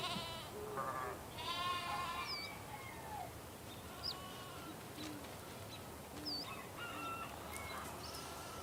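Sheep bleat in wavering, nasal cries that overlap from several animals, with faint bird chirps behind.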